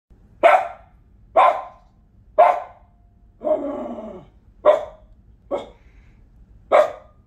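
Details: Female dog indoors, angry at a squirrel appearing in a nature program on TV, barking sharply about once a second, six loud barks with one longer growling, whining outburst in the middle.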